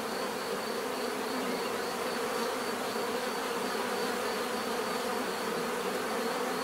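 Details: A constant natural buzzing of many bees, broad and droning with layered low bands and a high steady whine, level and unchanging throughout.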